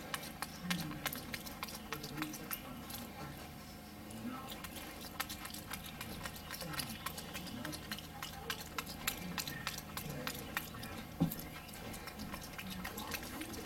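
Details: Wolfgang, a capuchin monkey, eats a Johnsonville brat with smacking lips: dense runs of moist clicks and chewing smacks throughout, with a faint human voice in the background.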